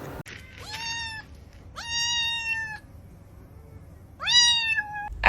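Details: Kitten meowing three times, each a clear, drawn-out, slightly rising and then level cry lasting about half a second to a second, with brief pauses between, over low indoor background noise.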